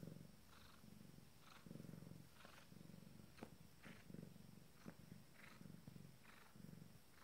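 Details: Abyssinian cat minutes before giving birth to her first litter, purring deep and low in rhythmic bursts about once a second, with a few faint clicks and rustles between pulses.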